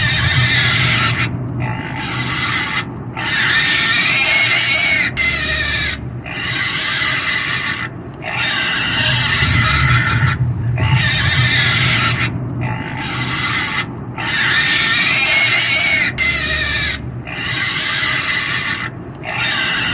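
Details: Pigs squealing and screaming: loud, harsh, harmonic squeals lasting one to two seconds each, repeated with short breaks in between, over a steady low rumble in the background.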